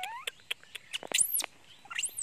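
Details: Janny the monkey screams and cries out of hunger for its mother. After a run of faint ticking clicks, two piercing squeals arc steeply upward and fall again, over a low background hiss.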